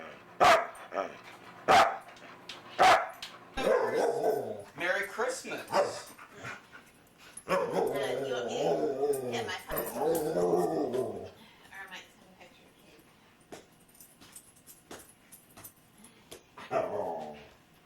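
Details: Foster dog Luca, described as very talkative, barks three times sharply, then produces long rolling grumbling vocalizations with wavering pitch, mixed with some human speech and household background noise.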